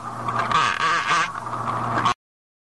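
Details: Rough-toothed dolphin producing a short run of nasal, quack-like pulsed calls lasting about two seconds, over a constant low hum, then silence.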